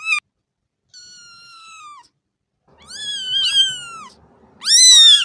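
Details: Kitten meowing: a soft, long falling meow, then a louder wavering meow over a low rumble, ending with a loud, sharp rising-and-falling cry.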